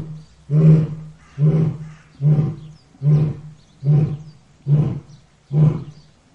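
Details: Lion's short grunting roars, seven evenly spaced deep huffs roughly every 0.8 seconds, each punchy and breathy with a low booming base, like the closing part of a roaring bout.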